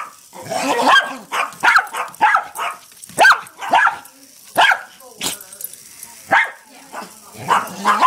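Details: Two pet dogs barking at a small hexbug toy: repeated sharp, high barks in irregular bursts roughly every half second, with short yips.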